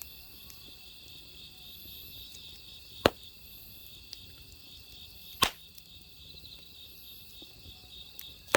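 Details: Continuous high, shimmering cricket trill on an autumn evening by crackling firewood, the insect chorus unbroken while three loud wood pops snap out at irregular intervals over a soft background hiss.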